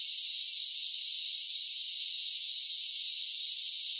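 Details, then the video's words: A constant high, sizzling drone of cicadas singing in summer, with no breaks or changes and no other sounds. "10 Hours of Cicada Sounds for Relaxation with Soothing Summer Nature Sounds"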